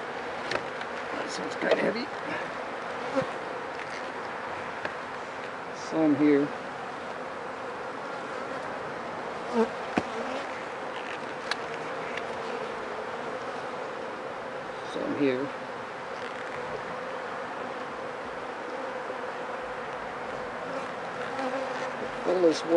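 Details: Honey bees at a hive after about four days of rain, with many dead bees in front: a steady low buzzing hum throughout, broken by scattered knocks and brief handling noises.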